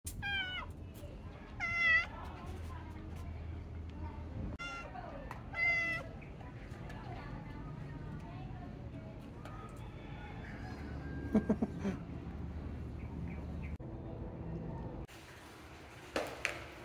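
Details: Stray female calico cat meowing, several short harmonic meows in the first seconds, then quieter stretches with low background hum and some handling noise; a person speaks near the end.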